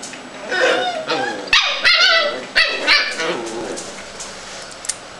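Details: Scottish terrier repeating bright, high yelping yips about every half second, each with ringing harmonics, partly overlapping with someone speaking French nearby.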